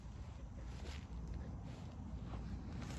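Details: Muffled low rumble with soft footsteps and wind-like noise, ending in a sharp knock.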